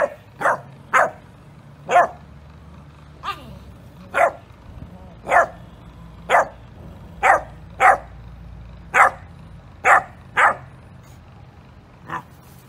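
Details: Yorkshire Terrier, a small pet dog, giving short sharp barks one at a time, roughly every half second to one second, about a dozen in all, over a faint low hum.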